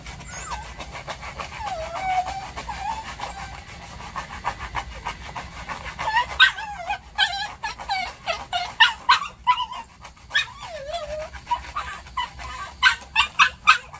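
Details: Maltese dog reacting during nail care: high whining whimpers that bend up and down, giving way to quick repeated yips and short sharp bursts in the second half, with clicking handling noises between them.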